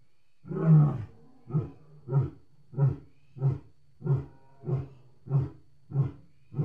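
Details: Lion roaring: one long, deep moaning roar followed by a series of eight shorter, grunting roars repeated about every 0.65 seconds, gradually evenly spaced and low-pitched, with a quiet background.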